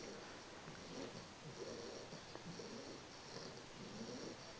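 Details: Carles, a three-month-old English Bulldog puppy, snoring while asleep indoors: soft, low rasping breaths rise and fall in a steady rhythm under a constant faint hiss.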